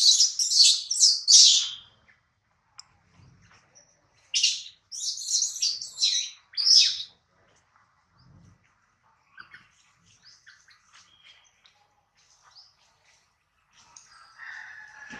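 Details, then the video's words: Baby monkey Adler, hungry and missing his mother, is held by a small monkey and cries in repeated loud, high shrieks grouped in two bouts, followed by quieter scattered whimpers and faint squeaks. "POOR BABY MONKEY CRYING IN HANDS OF SMALL MONKEY BABY MONKEY ADLER MISSES HIS MOM AND HUNGRY"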